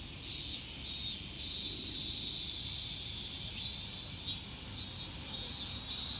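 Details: Evening cicada in Japan: series of bright, buzzy high pulses repeated in quick succession, pausing and resuming, set against an unbroken shrill insect chorus.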